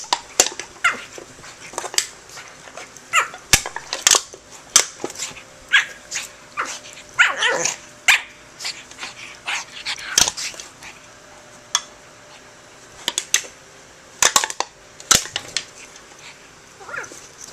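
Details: A pug fighting a can and going crazy, barking in rapid sharp bursts again and again, with scraping and clattering of the can between barks.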